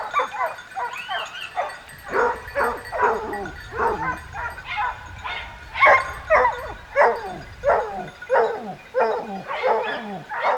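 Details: Pack of hunting dogs pursuing a wild boar alongside hunters in the south of France, barking in loose irregular bursts with some drawn-out bays and yelps overlapping, about one to two barks per second.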